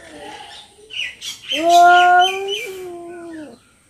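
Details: During a fight between two cats in Noldanga village, one cat gives a long, steady, tonal yowl with a slight waver near the end.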